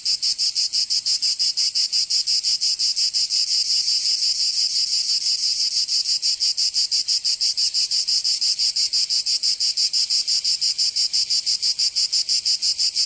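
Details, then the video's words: Cicadas singing in summer in Provence, southern France: a dense, high buzzing drone pulsing rapidly about three times a second, steady and unbroken throughout, with no other sounds. "Canto Cigarra 🦗 [ Escuchar les cigarras en verano 10 H]"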